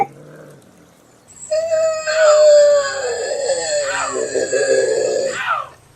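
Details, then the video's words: Bobcat scream, one long harsh wail that rises then wavers and breaks into a rough throaty trailing end, lasting about four seconds. "Bobcat Scream Sound"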